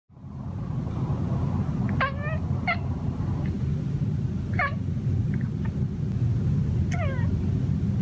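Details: Male domestic cat mumbling to himself while hunting birds on a patio: short, chirpy, slightly falling murmurs in clusters around two, three, five and seven seconds, over a constant low rumbling background.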